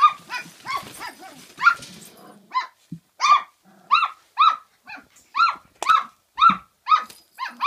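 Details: Kooikerhondje puppies at Kennel Duckhills in Sweden, day 48: a steady run of sharp, high-pitched puppy barks, about two per second after a short pause, with a few lower growly notes mixed in early.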